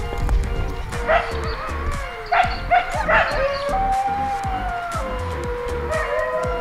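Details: A dingo pack at a wildlife sanctuary just outside Melbourne, Australia, howls in long, wavering tones that slide up and then fall away, with overlapping voices.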